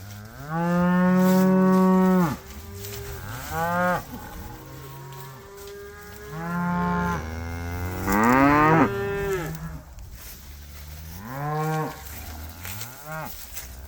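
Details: Winter pasture cattle lowing in turn: a loud, steady moo lasting nearly two seconds, followed by several shorter and overlapping moos, some rising and breaking in pitch, with quiet gaps between.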